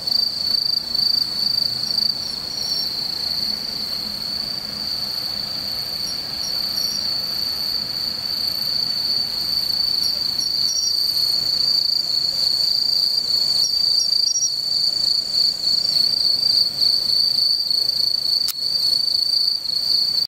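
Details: Bell cricket (Meloimorpha japonica) recorded on 17 September, ringing steadily with a bright, high, tinkling trill like a tiny bell.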